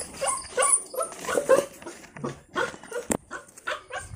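A puppy gives a rapid series of short, high-pitched yapping barks.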